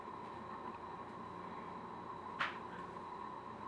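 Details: Quiet indoor room with a steady electrical hum and one short sharp click partway through, no animal voice heard.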